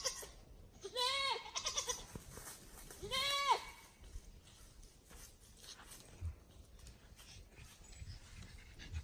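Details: Free-range goats from a herd let out daily, returning home on their own at dusk to be penned for the night; two loud wavering bleats with rich harmonics, roughly two seconds apart, over faint outdoor background noise.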